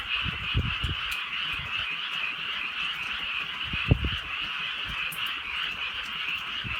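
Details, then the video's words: Countryside frogs calling on a night of soft rain; a thick, steady chorus of quick croaks runs throughout, while low dull thuds and knocks sound several times, loudest near the four-second mark. "개구리 소리"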